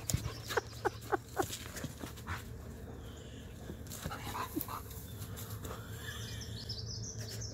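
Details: Husky and Malamute, two dogs, wrestling playfully in their morning tussle; a quick run of four or five short yips and grunts in the first second and a half, then quieter scuffling and rustling, with a human voice nearby.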